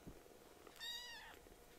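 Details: Foster kitten objecting to nail trimming at home: a single short, bright, high mew with stacked harmonics, rising then fading over about half a second, preceded by soft handling noise.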